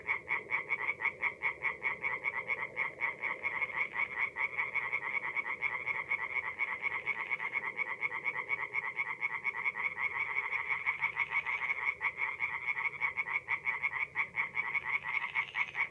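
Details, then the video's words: Tree frogs singing at night in a forest pond in mid-April in north-east Italy; a dense chorus of rapid, pulsed croaks, many overlapping callers keeping up a continuous rattling drone with no pauses. "relaxing forest pond by night with singing tree frogs"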